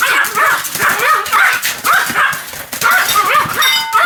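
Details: Continuous barking from a Pomeranian called Sam: dense, piercing yaps fired back to back with scarcely a gap, the strings broken by one short lull midway.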